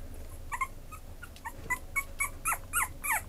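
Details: Merle Chihuahua from a breeder gives a string of short, thin yelping whimpers. They start soft and irregular, then grow louder and come about every quarter second. A faint low background rumble runs beneath them.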